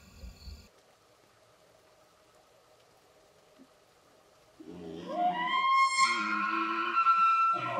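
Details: Elk bugling during the rut season: after a near-silent start, a low grunting onset at about five seconds climbs into a high, piercing whistled tone rich in overtones, held and wavering to the end, with a brief lower rasp.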